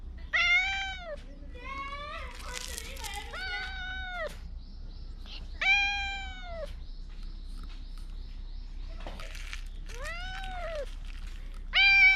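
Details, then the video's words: Stray cat under the Fukugi tree-lined lanes of Bise, Okinawa, Japan, meowing loudly as if trying to tell something; five drawn-out, arching meows with rich harmonics come every two to three seconds over faint background hiss, recorded on a GoPro 9. "備瀬のフクギ並木で見た大声で何かを訴える猫-cat that tells something loudly in a bise lined tree"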